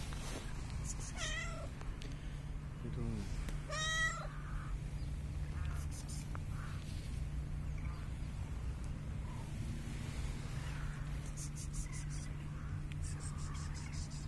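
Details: A cat that came up to the person recording gives two drawn-out, wavering meows in the first four seconds and a short lower sound in between, over a steady low rumble and faint high ticking.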